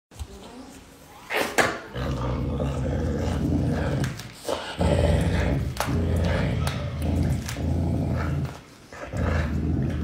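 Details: Caracal eating meat, giving deep rumbling growls in long sustained bouts separated by brief pauses, with a few sharp knocks and handling noises.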